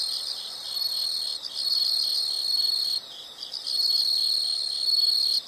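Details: Nature recording of insects meant for relaxation and sleep: a loud, high, continuous trill with short breaks near one and a half and three seconds, over a quieter steady chorus.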